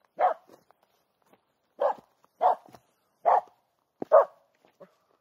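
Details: Female Finnish Spitz barking at a well-hidden squirrel in an overgrown, green local forest in mid August, driven by her instinct to hunt squirrels; five sharp, loud barks at uneven intervals, with faint rustles between.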